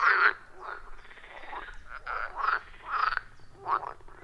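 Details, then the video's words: Forest pond frogs calling in a loud wild chorus, recorded on iPhone 14 Pro and Shure MV88+; a few separate grating croaks spaced about half a second apart, one louder call opening, others softer behind. "30 Minutes of Frog Sounds at a Forest Pond"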